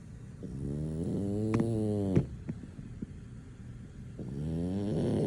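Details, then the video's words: Sleeping French Bulldog snoring deeply, unable to be woken; harmonic, droning snores with shifting pitch, a few sharp clicks or snorts between breaths. "French Bulldog snoring, nothing can wake him up"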